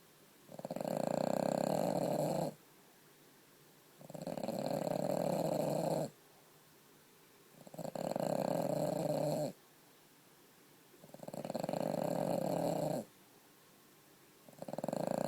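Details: A female French Bulldog, asleep for hours after having a broken toenail removed, snores loudly, each rough, rattling breath lasting about two seconds in a steady rhythm.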